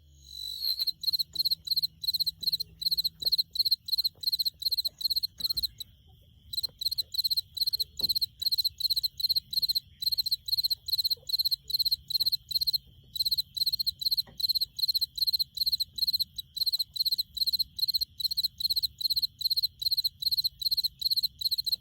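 A cricket chirps steadily, sounding clear, high, pure-toned pulses about two or three times a second.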